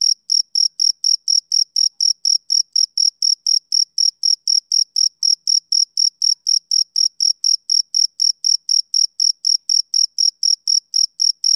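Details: A male cricket chirps through a summer evening in a long, even series of about forty-six shrill, clipped pulses, repeated around four times a second without pause, over a quiet, noise-free background.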